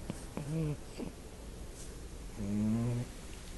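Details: Sleeping puppy snoring: two short, voiced, rasping snores about two seconds apart, low and droning, in a quiet indoor setting.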